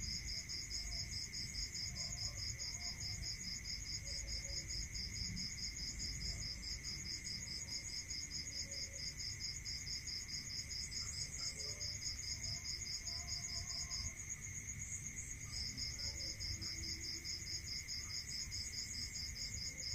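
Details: Rural night crickets keep up a long unbroken series of quick high chirps, pausing once for about a second late on before restarting, above a steady piercing whine and a faint continuous hum.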